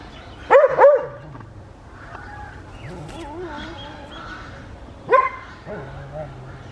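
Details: West Highland White Terrier barking outdoors in a Pakistani village garden, South Punjab, on a winter morning: a quick double bark, a pause with faint voices and background sounds, then another single sharp bark.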